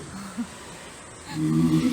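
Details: Tanpopo, a walrus at Ise Sea Paradise, sleeping soundly and snoring loudly: a low, rough, drawn-out rumble rises near the end after a short, soft earlier grunt, with quiet room noise behind.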